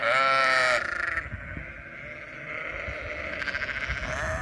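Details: A ranch flock of sheep in Western Australia: one loud, shaky bleat opens, then fades into a continuous hum of many distant sheep bleating, with faint rustling.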